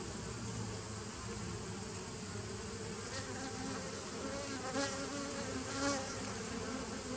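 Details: Steady buzzing of bees from a 2017 nuc colony on 27 September 2018, a continuous droning hum marked by two short louder swells near the fifth and sixth seconds, like single bees passing close.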